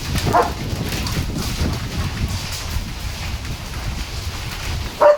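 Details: During a storm, as rain starts, a German Shepherd gives two short, sharp barks at the strong winds, over a steady roar of wind.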